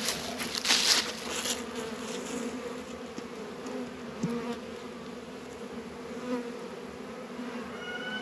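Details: Honey bees working at a hive in a northern Kentucky apiary on a 72°F February day, among Warre and Langstroth hives: a steady low droning hum with a brief burst of higher hiss and rustling near the start.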